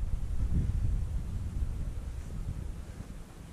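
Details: Gusty wind rumbles low against the microphone outdoors, with no animal call audible.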